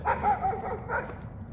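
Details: Blue Bay Shepherd named Kurgan on a hike through the Mississippi River valley on 11 August 2017, giving a few short, high, wavering whines and yips in quick succession over faint outdoor background noise.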